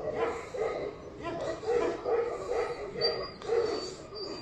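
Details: Repeated hoarse barks from a Tibetan Mastiff, roughly two each second and fairly even. A thin high whistle-like tone enters near the end.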